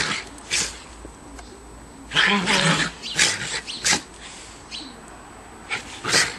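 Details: Two schipperkes romp through fresh snow in December 2008, giving a scattered series of abrupt barks and yaps of varying loudness, with one denser growly cluster in the middle and short gaps between calls.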